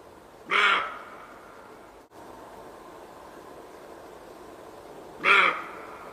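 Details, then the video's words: Roe deer giving two loud, explosive barks, each harsh and abrupt, spaced almost five seconds apart with near silence between them. "ROE DEER SOUND EFFECT 노루 울음소리"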